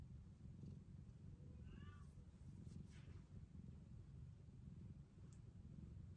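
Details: Rescued kitten, one of the foster kittens taken in during 2023, purring steadily in a low continuous rumble, with a faint, brief high meow around the two-second mark and some soft handling noises.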